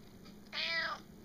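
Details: Domestic cat meowing while being talked to indoors: a single harmonic-rich meow about half a second long that rises slightly and then falls, over quiet room background.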